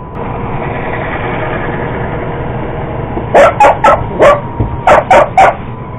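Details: A purebred Cocker Spaniel chases a Roomba robot vacuum. After three seconds of steady hum comes a burst of seven sharp barks in two bunches, fast and uneven.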